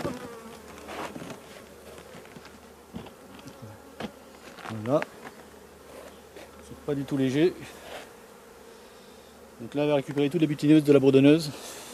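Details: Bees of a drone-laying honey bee hive, shaken off their frames some fifty metres from the apiary; several brief, pulsing buzzes of passing bees rise and fade, strongest near the end, over a faint steady hum.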